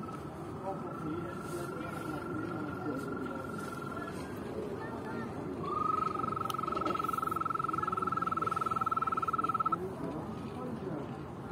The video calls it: صدای زیبا قورباغه 🤩🤩